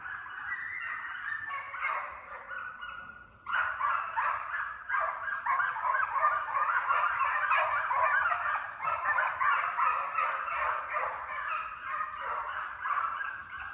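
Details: Several deer dog pups in conditioning runs after coyotes in a fox pen during summer, baying together loudly; harsh, honking voices pour out in quick, pulsing bursts roughly three per second, backed by a thin steady tone.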